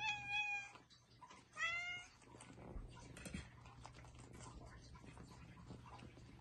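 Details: Bengal kittens playing indoors, two loud, high, clearly harmonic meows in the first two seconds, followed by soft thumps and rustling from their play and a steady low hum.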